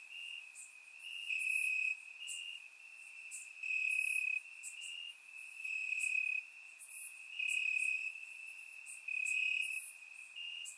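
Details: Crickets singing in grass at night during a warm Bulgarian summer, captured with a surround microphone; a sustained shrill trill comes in swelling waves roughly every one to two seconds, accompanied by quick higher chirps.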